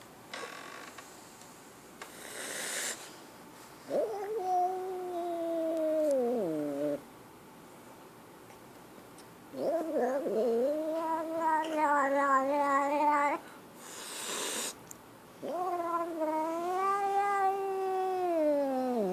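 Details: Scared kitten giving long, drawn-out wailing yowls, each lasting about three seconds, with a wavering pitch that rises and then sags. There are three main cries separated by quiet pauses and soft rustling.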